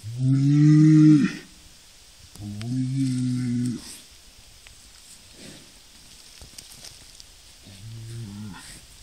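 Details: Highland and Hereford cattle; three deep drawn-out moos, the first loudest and lasting over a second, the second slightly softer, and the third quieter after a pause, with faint rustling between calls.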